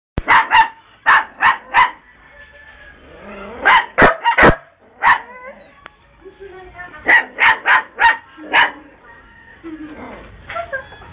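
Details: Dog barking playfully: sharp, loud barks in quick bursts of two to four, separated by short pauses, with soft human voices murmuring between the bursts.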